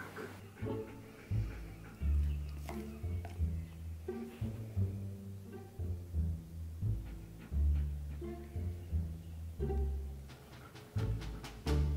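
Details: Plucked cello and double bass music runs throughout in a bouncy, repeating low pattern, with faint speech in the background and no animal sounds.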